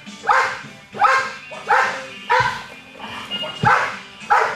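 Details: A 21-month-old American Bulldog in Schutzhund protection training, recorded 10-7-11. It barks hard and loud about seven times in under five seconds, each bark a harsh burst. Low background music is heard between the barks.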